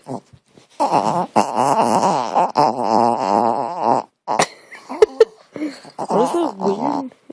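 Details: Pet dog indoors, suddenly making a weird, funny noise during play: a long, loud, wavering moan-like warble lasting about three seconds, then shorter quavering, pulsing calls with brief pauses between them.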